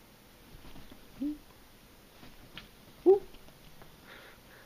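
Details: Domestic cats Dash and Violet, a brother and sister, play fight and wrestle indoors. Two short voiced chirps rise and fall about two seconds apart over quiet room noise, with faint scuffling between them.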